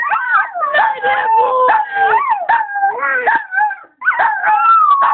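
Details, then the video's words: Doogie, a 5-year-old male Chihuahua, howls along when sung to, as if answering "I love you too"; long, wavering, sliding tonal howl almost continuous for five seconds, dropping out briefly near the end, with a human voice blended in. "Doogie, My Chihuahua Howling, I Love You Too Mom"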